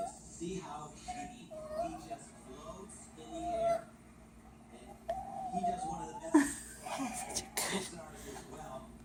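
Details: A Chihuahua gives high, cat-like mewing whines, drawn out and wavering, while watching her owner eat, with people talking nearby.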